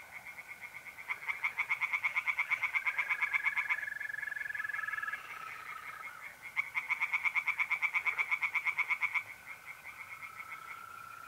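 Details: Tree frogs calling by night from a pond in north-east Italy in mid-April, two long runs of rapid pulsing croaks with a quieter interval between, accompanied by continuous, slightly wavering mole cricket trills.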